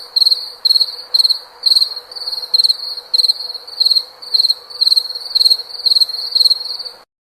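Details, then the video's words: Cricket giving loud, shrill chirps, each a quick trill of pulses, repeated about twice a second with short gaps, then cut to silence at the end. "SOM DE GRILO"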